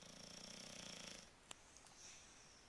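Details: Rocco the bulldog, cozy and asleep in bed, gives a soft rattling snore lasting about a second before falling quiet, with a single sharp click shortly after in a small indoor room.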